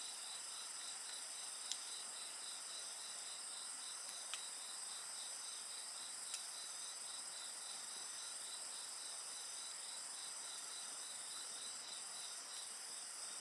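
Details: Unbroken insect song, several high ringing tones and a beaded pulsing trill, sustained at even loudness while a bonfire pops sharply about every two to three seconds.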